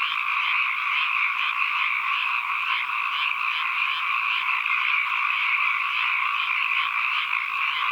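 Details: Steady ambient sound of a large frog chorus: overlapping, rapidly pulsed trills merge into a constant shrill drone with a faint rhythmic throb running through it, uninterrupted throughout.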